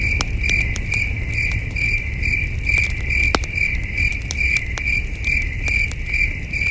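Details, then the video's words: Crickets chirping in the wilderness on a cool, starry night near a glowing campfire, a high-pitched trill steadily pulsing more than twice a second, mixed with frequent sharp fire crackles and low background noise. "Soothing Cricket Sounds"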